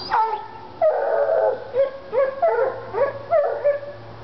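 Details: Treeing Walker Coonhounds Lady and Cooper in North Carolina, fired up on a coon skin: a drawn-out opening bawl, then short, ringing, bugle-like yelps with bending pitch, coming roughly every half second.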